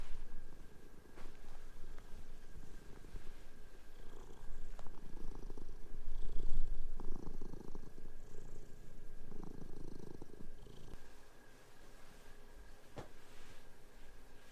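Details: Pet cats playing together on a bed while the sheets are changed; a continuous low purr with rhythmic pulses that grows louder midway, then quietens, with rustling bedding throughout.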